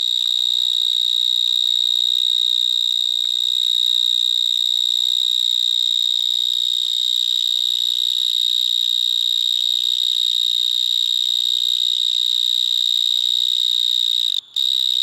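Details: Vineyard mole cricket, Gryllotalpa vineae, stridulating in a Gironde vineyard between Bordeaux and Libourne shortly after sunset on 22 March 2019; an extremely loud, unbroken high buzzing trill holding one steady pitch, audible at 200 m, with a brief drop near the end.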